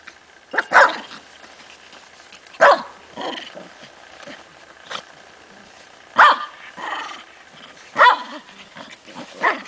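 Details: Ten-week-old Tibetan Spaniel puppies at play with adult dogs: short, sharp yappy barks spaced irregularly about every two seconds, with softer grumbling noises and light scuffling between them.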